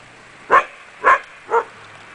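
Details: Akita Inu puppies from the Empire des Samouraïs kennel: three short, evenly spaced barks roughly half a second apart over a faint steady hum.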